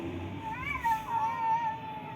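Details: Cat with its tail cut off meowing while being fed: a drawn-out, wavering mid-pitched meow rising then falling over about a second, over background music and human talk.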